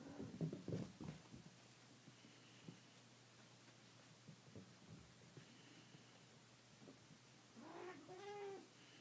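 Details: Traditional Siamese kittens running along a hallway for the first time, with their watchful mother nearby. Soft thumps and scuffles of paws on the floor give way to a short, clear, rising-then-falling meow near the end, over a low indoor hum.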